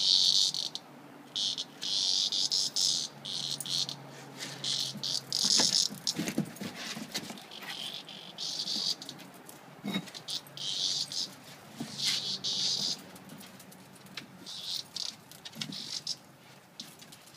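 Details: Cicada bug encountered by Rottweiler puppies, giving a harsh, high buzz in irregular bursts of one to two seconds with short gaps, broken by scattered clicks and soft thumps of movement nearby.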